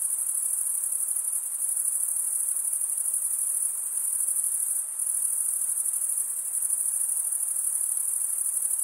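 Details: Crickets chirping, the males stridulating by rubbing one wing across the toothed vein of the other; a dense, steady high-pitched trill that runs without pause, with a very faint hiss beneath and no other sounds.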